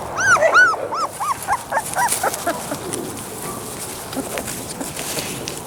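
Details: Sasha and Moses, Labrador Retriever puppies, let out a quick string of high, arched yelps during the first two seconds, then fall mostly quiet with soft background noise.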